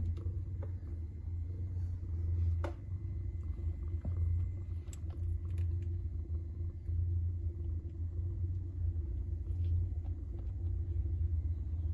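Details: Steady low rumble and room hum throughout, broken by a few sharp clicks, with no animal voice.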